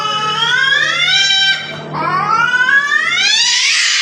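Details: Cats fighting outside a house, giving loud, high, drawn-out screeching yowls that bend upward, a brief dip near the middle, then a rising, intensifying wail.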